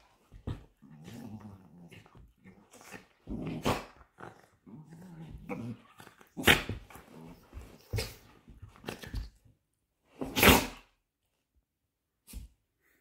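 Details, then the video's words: Two Patterdale fell terriers playing and play-fighting indoors; low rumbling growls come in bursts between sharp snaps and scuffling thumps, with a couple of loud sudden knocks. "FIGHTING PATTERDALES. FELL TERRIERS OBSCURA AND ESTACADO PLAYING."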